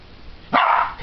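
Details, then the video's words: Single sharp bark from a small dog during play between Cooper, a shih tzu/pomeranian cross known for barking, and Millie, a miniature schnauzer. "Cooper and Millie Playing"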